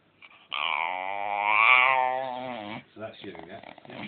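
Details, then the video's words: Pet dog 'talking' indoors while being stroked, wanting more petting: one long drawn-out harmonic moan, rising slightly in the middle then falling away, followed by softer broken grumbles. "Funny Talking Dog!"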